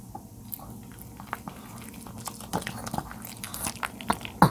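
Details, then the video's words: Charlie, an elderly 13-year-old male dog, munching napa cabbage in a small room; quiet start building to louder, wetter crunches and bites toward the end, irregularly spaced. "노견의 ASMR 먹방_알배추"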